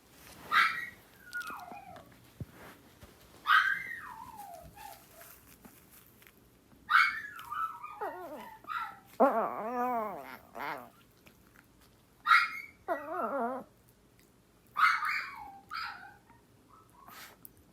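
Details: Two small house dogs, Yorkshire terrier and Maltese sisters, the older answering the younger's crying with howls; sharp high whimpers alternate with wavering, laddered howling notes, indoors with low background hum.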